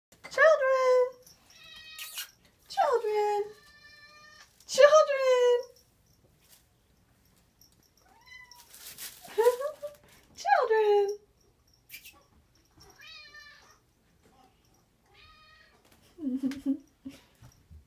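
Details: Several pet cats begging for food in a home kitchen, hoping for moist food: loud, harmonic, downward-sliding meows at irregular intervals, some softer wavering calls between, with quiet human talk indoors.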